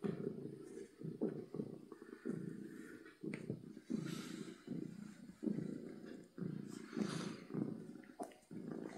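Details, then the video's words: Happy domestic cat purring loudly, a low rumbling purr in rhythmic pulses, each breath cycle lasting about a second with brief gaps between, recorded indoors close up. "Cat Purring from Happiness"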